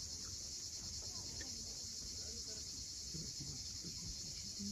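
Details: Cicadas calling at sunset above the sea at Cape Fiolent, Crimea: an even, piercing electric-sounding buzz runs unbroken, over a bed of quiet low-pitched wave noise and scattered faint clicks.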